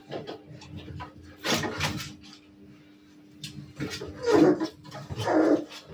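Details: Maremma Sheepdog puppies playing indoors, with rough growling yelps and scuffles in bursts, two strong harsh cries toward the end, and a steady hum underneath.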